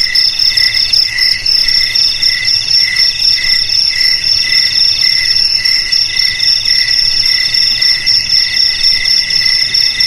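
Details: Shrill cricket chirping pulses rapidly, around four bursts a second, with more crickets trilling steadily behind, played to drive rats from homes, garages, storerooms and rice fields.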